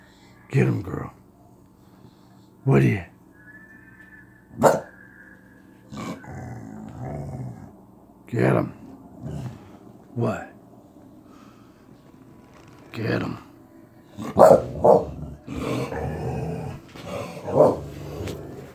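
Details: Dog barking in a series of short, sharp bursts spaced irregularly over the recording, clustering closer together near the end, with low rumbling sounds between barks.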